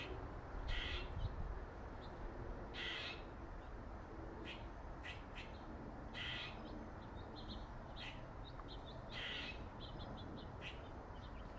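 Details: Squirrel nicknamed Dirty Face, a male with a dark mark on his face, thought related to Jerry: harsh, buzzy bursts, some longer, spaced over the clip with brief clicks between, against steady low background noise.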